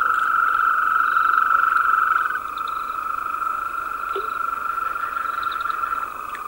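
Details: Powerful chorus of European green toads: a long buzzing trill that is loud at first, then softer as another slightly lower trill carries on, with faint chirps and a short click.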